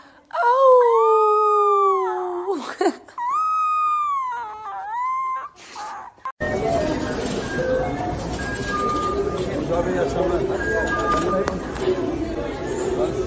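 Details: Domestic cat giving two long, drawn-out wailing meows of about two seconds each, rich in harmonics and gently bending in pitch, followed by a shorter cry, then busy background chatter and noise take over.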